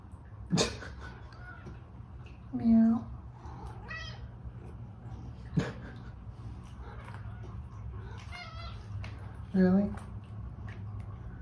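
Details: Female domestic cat indoors meowing dramatically for food, several drawn-out harmonic meows spaced a few seconds apart, some rising then falling, with a person talking to her between calls and a few sharp knocks.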